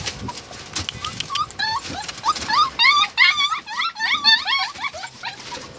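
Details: High whines and squeaky yelps from Samoyed and Siberian Husky puppies, wavering up and down in quick, uneven runs over faint background rustle.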